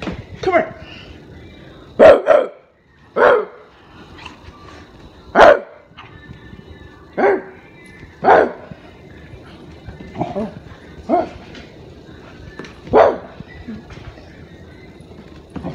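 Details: A pet Rottweiler barks at a person in deep, single gruff bursts spaced about a second or two apart.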